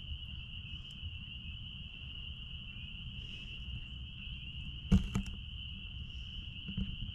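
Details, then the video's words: Spring peepers at a blueberry farm sing as a continuous high, ringing chorus of merged peeps, with a sharp thud and brief rattle around the middle and low rumbling underneath. "Peepers sounds out back at Blueberry farm"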